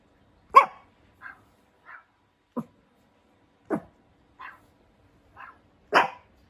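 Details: Hendo, a two-year-old Pomeranian puppy born 20 August 2021, barking indoors on his birthday: sharp separate barks with softer yips between them, about eight calls in six seconds, in an otherwise quiet room.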